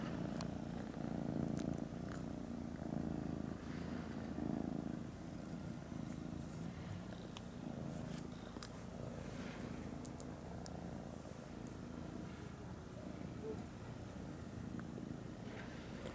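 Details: Kittens with a newly arrived grey kitten, continuous low throbbing purr pulsing about four times a second, louder in the first five seconds, with scattered faint clicks and taps.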